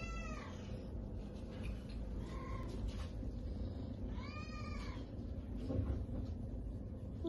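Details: Mummy, a Domestic Shorthair cat up for adoption, gives three short arched meows spaced about two seconds apart over a steady low rumbling hum, with a person speaking softly nearby.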